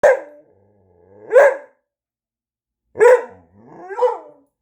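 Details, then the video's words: A dog said to be talking produces four drawn-out, howl-like vocal bursts with strong harmonics, rising and falling in pitch, spaced about one to two seconds apart; brief music is heard afterwards. "Talking Dog"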